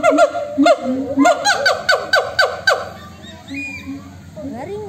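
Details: Monkeys calling to each other: about eight sharp, falling harmonic whoops in quick succession over low hoots, then a quieter stretch with faint distant calls and a few closing rising notes.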